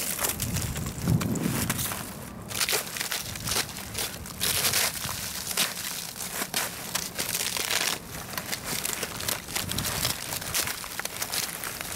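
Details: Crackling, crunching and crumpling noises with footsteps outdoors; no animal sound.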